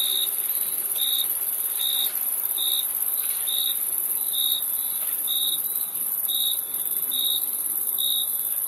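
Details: Cricket chirps: piercing, short pulses roughly once per second, about ten in a row, against an unbroken high-pitched insect buzz.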